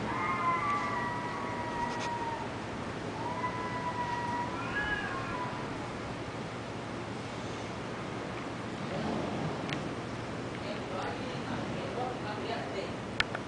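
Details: Fighting Taiwanese cats trade sustained, tonal caterwauls, held wails that bend upward and wobble, then break into harsh, noisy hissing and spitting bursts with scattered sharp clicks against a constant low hum.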